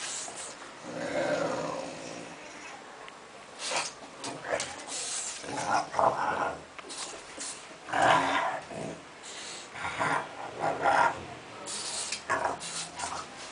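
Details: French Bulldog indoors, making rough, noisy grunts and growls in irregular bursts, some long and snorting, others short and clipped, with brief quiet gaps between them throughout.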